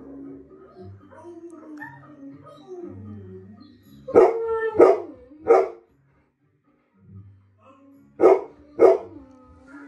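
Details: A pet Golden Retriever, confused, recognises a German Shepherd on TV: soft wavering tonal sounds, then three quick loud barks near the middle and two more toward the end, with television audio behind.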